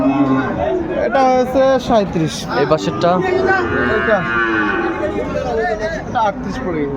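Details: At a Comilla cattle market on 10 February 2025, Sahiwal bull calves low in short, uneven bursts, one moo followed by a longer drawn bellow, mixed with loud nearby speech and market bustle.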